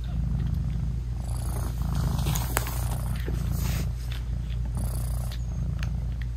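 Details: Mother British Shorthair cat loving on her newborn kittens while nursing, purring loudly; dense low rumbling purr with scattered faint clicks and a soft breathy rustle near the middle.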